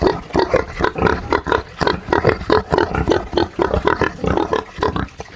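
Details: Pigs kept on a Brazilian farm grunt in rapid rhythmic bursts, harsh nasal snorts coming about three or four per second, overlapping from more than one animal.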